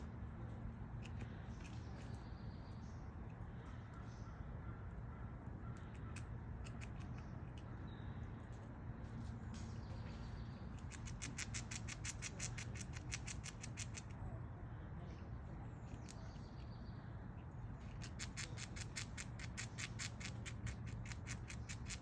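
A squirrel gnaws nuts in bursts of rapid, dry clicking over a steady low rumble.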